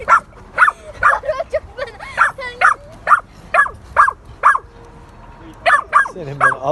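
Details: Dog barking in a park, with a rottweiler named Rednos and a pitbull named Pamuk present: quick sharp barks about twice a second, a short pause near five seconds, then a few more barks, with faint talking underneath.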